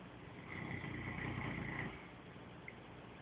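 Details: Sleeping dog snoring loudly while dreaming, one long rough breath lasting about a second and a half, low rumbling with a thin whistled edge, then quiet room hiss.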